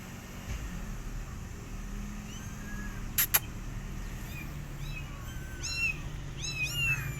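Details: Rescue kittens left alone, their mother cat not feeding them, give thin high mews that rise and fall, clustering in the latter half. Two sharp clicks come near the middle, over a steady low background hum.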